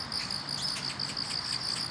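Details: On a roadside with grass on a morning commute at the start of autumn, crickets chorus in a steady, high, pulsing trill, with chirps repeating several times a second.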